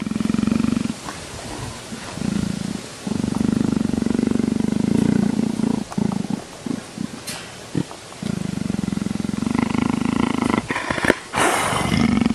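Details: A leopard gives a deep, steady rumble like a coarse purr in long drawn-out bursts, while being scratched and seemingly asking to be scratched a bit higher.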